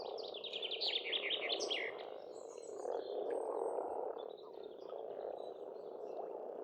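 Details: Frogs croaking in a spring pond at an Estonian homestead: dense, steady grumbling chorus under a bright, rapidly repeated bird song phrase at the start and faint high whistles later.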